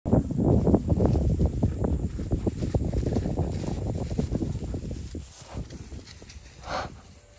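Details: An Arabian horse makes an odd, low, rumbling sound of rapid, uneven pulses that fades away; the owner has heard this strange sound only since acquiring Arabian horses.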